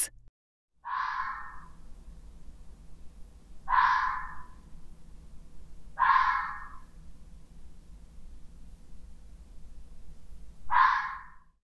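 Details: Fox giving four short, hoarse, breathy barks spaced roughly three seconds apart over a faint low background rumble.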